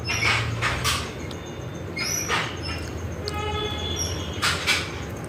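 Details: Pet dog named Bujji answering back in an affectionate conversation: short scattered whines and thin drawn-out tonal notes with a few sharp broadband yelps, heard over a steady low rumble.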